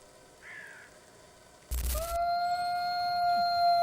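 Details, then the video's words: Grey wolf, found across North America, Europe and Asia: a steady, even howl held on one pitch with rich overtones begins partway through, after a brief burst of noise, with a faint rising note earlier and music underneath. "Amazing Wolf Howl Compilation"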